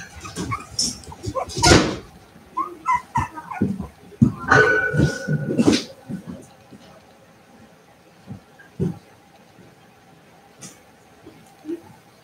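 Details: Cavalier King Charles Spaniel puppies, raised indoors, playing in the house: a burst of short yips and whimpers with a thin tonal whine near the middle and scuffling. The sounds then fade to occasional soft noises, with a human voice at times.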